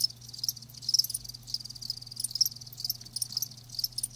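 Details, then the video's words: Chirping of live crickets: bright, high pulsed bursts coming in irregular groups, several loud chirps close together, soft low hum in the background. "Live Crickets 60min "Natural Sound""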